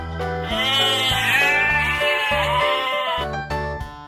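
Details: Sheep bleating in one long, wavering, nasal cry lasting nearly three seconds, over steady children's background music with a pulsing bass line.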